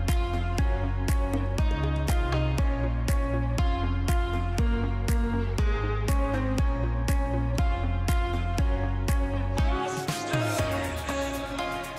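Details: Steady electronic music with a regular beat and a swelling cymbal near the end, no animal voice heard.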